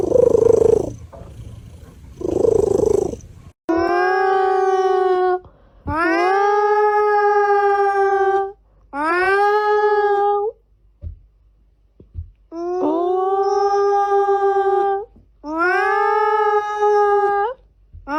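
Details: Domestic cat with two purring bursts, then a run of long, drawn-out howling meows, each steady and slightly rising, some over two seconds long, in short pauses.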